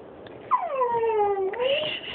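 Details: Pit Bull and Jack Russell mix dog whining because it wants under the covers; one long drawn-out whine that falls from high to lower pitch, holds, then rises again, with a woman talking to it before and after.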